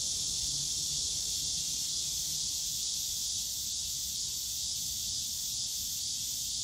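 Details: Cicadas calling on a summer day in the bamboo grove of Yongsan Family Park, a dense, continuous high-pitched buzzing drone with a faint regular pulsing, steady throughout with no pauses.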